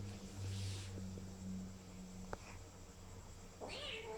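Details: A kitten after getting a shot gives a single short meow near the end, rising then falling with bright harmonics, after a stretch of soft hissy rustling and low indoor hum.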